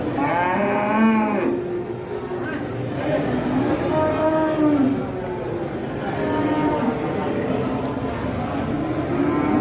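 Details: Masked cattle (sapi bertopeng) at an Indonesian farm, lowing in several drawn-out, harmonically rich moos that rise and fall, one after another, with voices and background music also audible.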